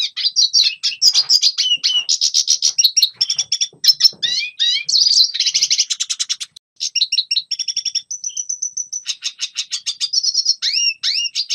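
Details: Long, fast, twittering red siskin song meant to train young birds: mixed chirps, buzzy trills and slurred whistles, a brief pause, then a steady pure whistled note and more rattling trills.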